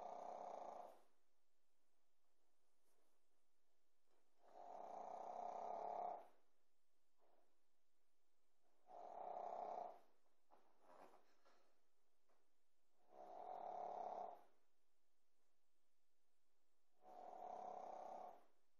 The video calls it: snoring pekingese puppy - juju bear